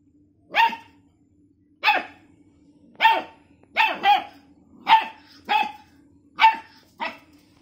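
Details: Labrador Retriever; bark; aggressive barking at a cat during a fight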